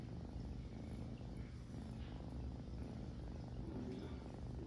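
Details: Kitten cleaning itself, purring steadily as a low continuous rumble throughout, with faint licking sounds above.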